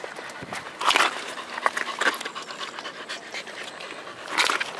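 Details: Corgi named Roku, fetching a ball and swimming, recorded 18 July 2021; breathy, broadband panting bursts come in uneven clusters, strongest near the start and end, over a steady hiss of background noise.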